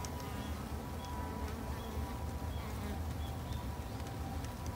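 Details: Japanese honey bees kept in a garden apiary for conservation, tended by a beginner beekeeper of two months; a steady low droning hum fills the recording, with faint tonal lines and scattered small clicks.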